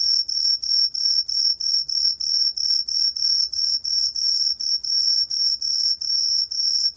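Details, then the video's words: Tree cricket called 청솔귀뚜라미, recorded in 2020 by the National Institute of Biological Resources: a rhythmic run of high, ringing chirps, about three per second, each separated by a short gap, with faint low background noise. "청솔귀뚜라미, 여러번 듣기, 곤충소리"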